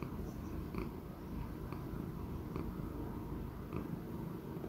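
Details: Choux, a roughly 16-year-old male Persian Chinchilla cat, purring in a low, steady rumble with a fast, even pulse throughout, along with a few soft faint clicks and light rustles.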